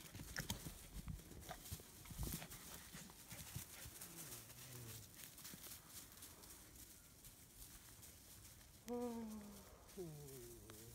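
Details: Nine-week-old German Shepherd puppies, a black/tan female and a black/silver male, playing outside in Florida; brief high whining yelps with falling and rising sweeps near the end, over rustling and handling noise.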